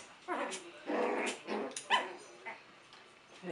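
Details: Six-week-old puppies romping in their pen: short yips and whimpers in quick bursts, several overlapping, with a person talking softly nearby.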